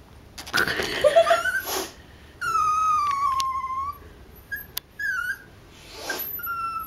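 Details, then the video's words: Indoors, a pet dog named Mickey cries while stuck and hiding. A long whine starts high and slowly falls over about two seconds, followed by a few short whimpers. People's voices are heard at the start. "making our dog cry lol"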